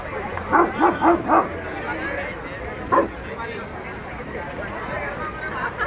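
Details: Saint Bernard, a giant molosser breed, described as aggressive, giving three quick harmonic barks in a burst, then one more bark after a pause, over a steady background hum.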